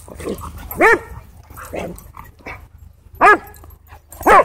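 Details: Siberian Huskies play-fighting at a dog park give loud harmonic barks and yelps about once a second, interspersed with softer grumbling vocalisations, against a steady low hum.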